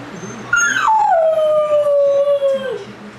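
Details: Young puppy howling when left alone for the first time: one long note that starts high, steps down and holds a steady, slightly wavering tone for about two seconds before trailing off, in a quiet room.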